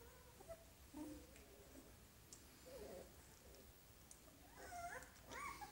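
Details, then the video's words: Golden Retriever puppies, filed under the name Angelorso on 25 February 2017, give soft high whimpers and squeaks, some short, others drawn out and wavering, spread across a quiet indoor setting with faint background hiss. "Cuccioli Golden Retriever"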